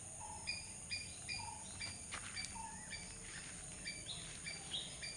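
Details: Squirrel chirping in quick, sharp notes about twice a second with a few lower whistles, plus scattered clicks and rustling in the middle over background hiss.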